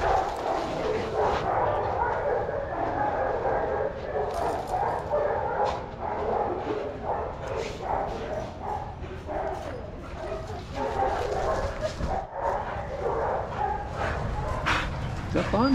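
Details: Several dogs playing together in a shelter yard in Arizona, watched by trained handlers. Scattered sharp barks and yips rise over a steady, busy wash of yard noise.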